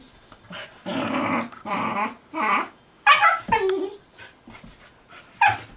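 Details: Two puppies, Gunner and Allie, playing together for hours with only short breaks; rough, harmonic growling barks come in bursts of about half a second, then a sharper yelp and a few quieter snarls near the end.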